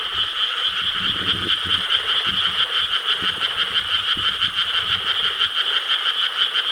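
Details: Night chorus of frogs in Korean rice paddies, 4 July 2013: countless rapid croaks merge into a constant high, rattling drone, with a few lower, deeper croaks breaking through near the start.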